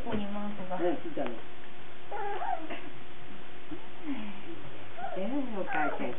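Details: Young Cardigan Welsh Corgi puppies filmed on 17 March 2008: repeated thin, wavering whimpers and squeaky yelps, some bending up then down in pitch, in short bursts with pauses, a low hum underneath.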